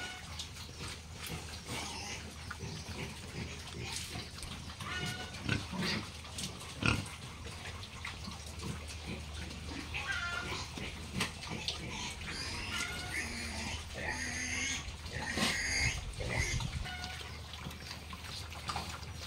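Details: On a pig farm with Hampshire, F1, British Landrace and Yorkshire stock, piglets keep up a busy mix of grunts, snorts and rising squeals, busiest in the second half, over a persistent low hum.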